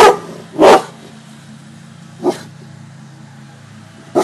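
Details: Cane corso Gia and bullmastiff Deuce, trick-performing guard dogs barking on command, deliver a pair of quick harsh barks, a lone bark after a pause, and a final clipped one, with a steady low-pitched drone behind.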